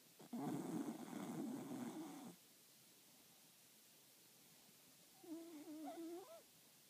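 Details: Snoring from Tickles, a four-year-old solid black Cocker Spaniel with a velvet coat: one loud rough, noisy breath lasting two seconds, then a quiet gap and a softer, wavering tonal snore near the end.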